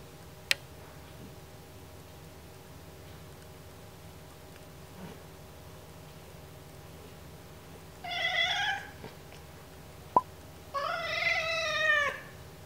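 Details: During ear cleaning, which she dislikes, Oreo the cat lets out two whines after a long quiet stretch: a short wavering one, then a longer tremulous harmonic whine, with occasional sharp clicks of handling.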